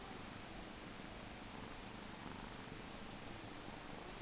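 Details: A 2-month-old male Maine Coon kitten purrs steadily, a soft, continuous low rumble.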